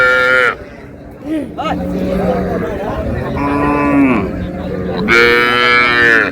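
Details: Cows with calves at Raniganj market (hat), Dinajpur, on July 2, 2026: a short harmonic moo opens, then a longer, louder, slightly falling bellow closes, with men talking and shouting over the bustle of the crowded livestock market.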